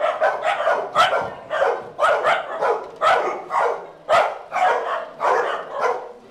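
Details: Dogs at play in a day care make a run of sharp, overlapping barks and yips. They come in bursts about once a second with little regularity.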